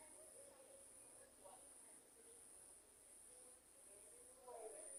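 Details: Crickets at night during a lightning storm: a high, steady shrill trill in long bursts broken by short gaps about every second, with faint low murmuring voices underneath.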